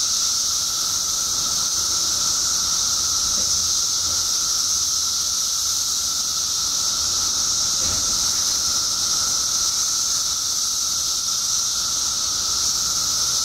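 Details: Mass emergence of periodical cicadas in Illinois State after 17 years underground: an unbroken, high sizzling roar with a steady humming tone beneath it, faint low rumbles now and then.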